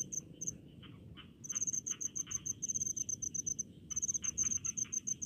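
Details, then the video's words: Cricket chirping from rice fields, rural village atmosphere: quick high-pitched pulses in bursts separated by short gaps, over a soft background hum of distant insects. "SUARA JANGKRIK DI PESAWAHAN"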